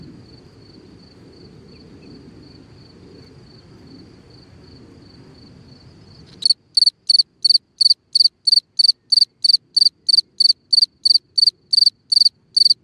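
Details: Night cricket calling from a hole in the ground; a faint steady high buzz with low rustling gives way to loud crisp chirps repeated about three times a second.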